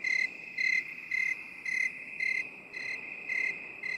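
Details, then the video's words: Cricket chirping in binaural mode for relaxation, with crisp chirps repeating almost twice a second, some louder than others, above a steady shrill hum. "3 HOURS OF 8D CRICKET SOUND For relaxation and stress relief"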